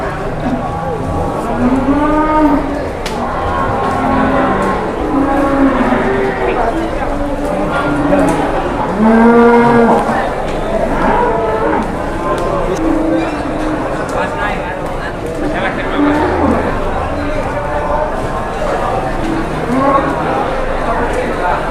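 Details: Cattle, including a jumbo cow led around for sale in Indonesia amid a very crowded scene: repeated drawn-out moos with arching pitch, several overlapping from different animals, over constant crowd chatter and clatter.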